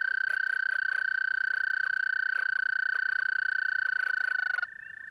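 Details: At a pond in mating season, a toad recorded up close at night holds a sustained, even-pitched buzzing trill for over four seconds, then it cuts off abruptly, leaving a quieter, distant trill behind.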